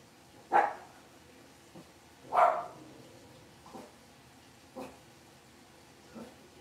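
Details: Blenheim Cavalier King Charles Spaniel puppies, a litter of five born on New Year's, in an indoor puppy pen at home; two sharp barks followed by three softer yips, spaced about a second or two apart, over a quiet background.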